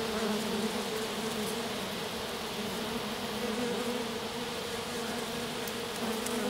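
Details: Honey bees of a small swarm resting in grass, a queen left behind with a few loyal workers; continuous low droning hum with steady banded tones, no other clear sounds.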